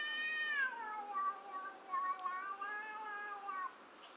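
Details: One of two cats outside a house gives a bizarre, descending wail that settles into a low, wobbling, pulsing moan lasting about three seconds before fading.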